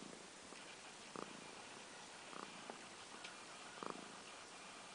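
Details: Pet cat purring indoors, recorded in February 2014: a soft, steady low rumble throughout with faint pulsing, plus a few brief clicks and small bumps.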